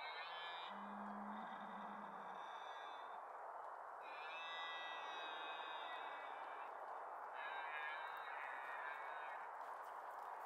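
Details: Deer calling during the October 2023 rut: three long, drawn-out, high harmonic calls, each lasting a few seconds, over a steady rushing background noise, with a short low hum near the start.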